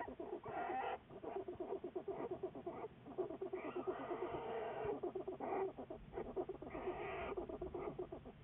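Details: Juliet, a black bear followed by Wildlife Research Institute biologists, February 10, 2014: a rapid, continuous stuttering rumble of tightly packed pulses, like a motor-like purr, with brief louder breathy swells throughout.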